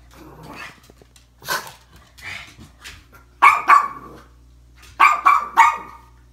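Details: A jealous, upset pug barks at flowers on Valentine's Day in short, sharp harmonic yaps, scattered then in quick clusters of two or three, softer huffs and grumbles between over a low hum.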